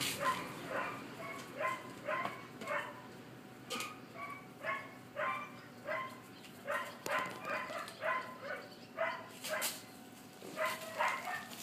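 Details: Collie puppies aged 50 and 63 days, filmed on 20 July 2013, give a string of short yelps and whimpers roughly twice a second, each with stacked overtones, against a steady hiss.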